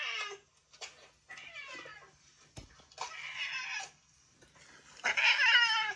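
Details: Yongo (Kuro), a long-reigning boss cat now retired and cared for at home in old age, lets out harsh, raspy 'fugyaaa' screeches in several noisy bursts with short pauses, the loudest and longest coming at the end.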